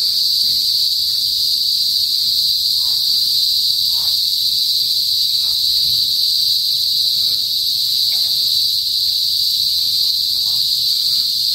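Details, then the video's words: Philippine cicadas, locally kuliglig, in a northern provincial countryside before sunset, producing an unbroken loud shrill buzz that never wavers, over soft low-frequency ambient rumble and a few faint distant chirps. "TUNOG NG KULIGLIG SA PROBINSIYA | PHILIPPINES CICADAS NOISE"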